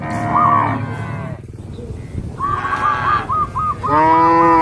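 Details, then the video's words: Cattle, part of a herd of dozens jumping over a path border among green rice fields in the countryside. Loud drawn-out harmonic moos with a quiet gap midway, then a wavering, pulsed call and another strong moo at the end. "Suara Sapi Lucu,sapi moo"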